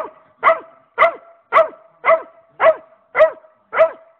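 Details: A pet dog barking at a rabbit: a steady run of sharp, evenly spaced barks, about two per second, each bark a bright, fairly high yelp with a quick downward slide. No other sounds stand out.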